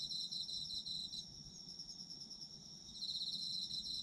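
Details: Autumn insects singing together: shrill, fast-pulsed chirping trills at high pitch, one caller fading for a couple of seconds in the middle before the full chorus returns.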